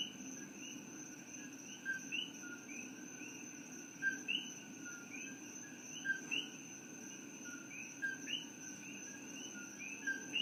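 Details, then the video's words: Coqui frogs, invaders in Hawaii from Puerto Rico, call after dark in Hilo. Numerous birdlike upward-sliding whistles, each preceded by a short lower note, come from many frogs at once against a continuous high-pitched hum. "Coqui Frogs - What do They Sound Like?"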